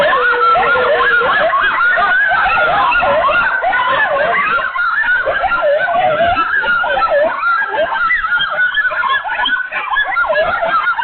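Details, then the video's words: Several coyotes freaking out together, a dense overlapping chorus of wavering, quavering yips and howls sliding up and down, continuous and frantic for the whole stretch with no pauses. "Coyotes freak out."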